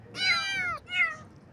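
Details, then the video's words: Baby kittens in the morning give two clear, high meows, the first long and falling, the second shorter, with a quiet pause between. "Kitten Meows"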